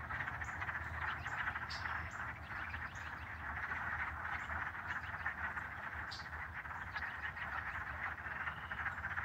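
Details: Dense chorus of frogs near a pond on a loud spring night in Michigan, March 25, giving a steady, overlapping stream of short, trilled chirps.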